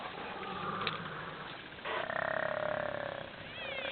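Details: Hyenas squabbling over an elephant carcass in the Sabi Sands, Kruger National Park: a sustained, rapidly pulsing whine of about a second and a half, then a brief wavering rising-falling cry, over a constant rural background.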